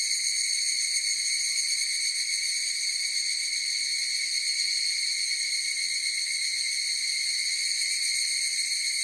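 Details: Higurashi cicadas in chorus: a steady, shimmering high-pitched drone of stacked bright tones, unbroken for the whole stretch, with no other sounds.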